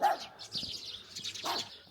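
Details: A chained dog in a cold border village in Jiayin County, Heilongjiang, on the China–Russia border, barking after sunset at about 7–8°C, gives two short, harsh barks about a second and a half apart, over a steady hiss of wind or background noise.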